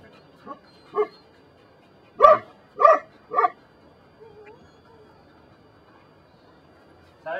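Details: Belgian Malinois at the des Champs kennel in Mexico, working on control during personal protection training: five sharp barks, the three loudest coming in quick succession midway, then quiet with a man's low voice and faint background sounds.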